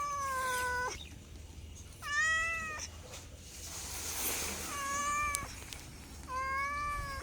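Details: Pet cat meowing four times, each cry a level, sustained tone with rich overtones, with gaps and some background hiss and a brief click between them.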